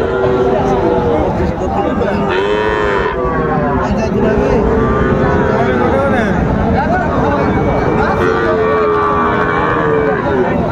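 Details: Cattle at a market in Cumilla, Bangladesh, on 5 September 2024, where a farmer buys bulls suited for farming. Several drawn-out, arching moos rise and fall across ten seconds over a constant loud crowd murmur and chatter.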